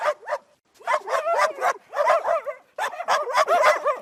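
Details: Angry dog barking furiously: loud, rapid, strained barks running almost without pause, some rising into yelping tones, with one short gap.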